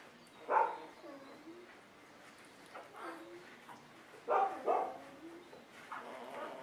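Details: A litter of Golden Retriever puppies gives a few scattered whines: a sharp cry near the start, then a quiet stretch, then two close cries and a softer final one.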